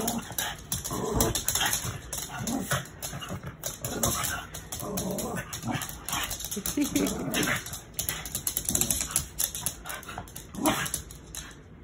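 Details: Max, a newly adopted dog a little over three years old, playing with Pup, who taught him how to play. Rough scuffling bursts and short growly noises come in quick irregular runs, with a person talking now and then.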